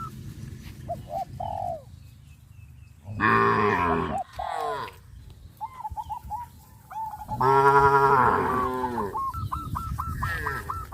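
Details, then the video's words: Cows on a traditional village farm running and jumping into a green rice field; two long, deep, harmonic-rich moos about four seconds apart, with short repeated high hooked calls from other farm animals between them. "sound of cows"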